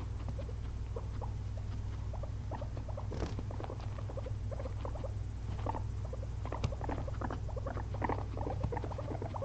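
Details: A pair of pet guinea pigs sleep after a long day spent eating frozen blueberries, giving brief upswept squeaks in scattered, uneven bursts above a constant low droning hum.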